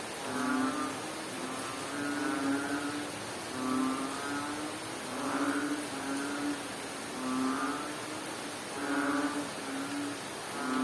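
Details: Rainy-weather frog calls from Bohol, Philippines: a series of low, nasal, buzzing notes, some paired, recurring every couple of seconds beneath a continuous wash of falling rain.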